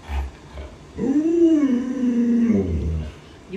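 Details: Pet Alaskan Malamute, annoyed as its owner pretends to eat dog-meat hotpot, gives a drawn-out, wavering howl-like moan lasting about two seconds, rising then slowly falling, with a short low grumble at the end.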